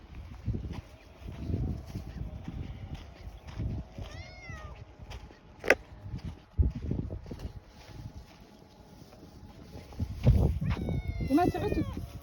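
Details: Somali cat in Hargeisa, Somaliland, giving two short arched meows, one near the middle and one near the end, among heavy low thumps of footsteps and handling noise.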